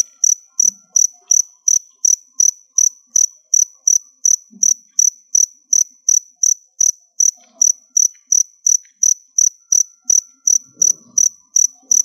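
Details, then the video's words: Stored crickets, bought from a shop and kept as food for pets, chirp steadily and evenly, with high pulses roughly every 0.4 seconds and about thirty chirps in a quiet setting. "Cricket Sounds"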